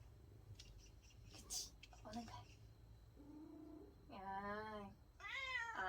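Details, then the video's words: Domestic cat producing a low drawn-out note followed by two louder wavering meows said to sound like "no", mixed with a person's voice and handling noises indoors. "'안해'라고 말하는 고양이"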